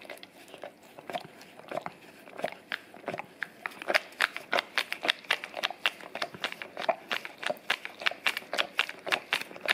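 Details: Indoors on a tile floor, a male English cream golden retriever laps peanut butter from a taped-down Orapup tongue brush, cleaning his breath; crisp, sticky licking clicks repeat rapidly and unevenly, building in loudness through the middle.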